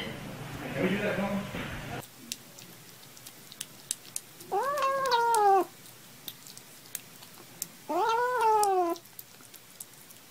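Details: Kittens at play with two clear, drawn-out mewing calls, each about a second long with a rising then falling pitch, several seconds apart, amid scattered light clicks and taps.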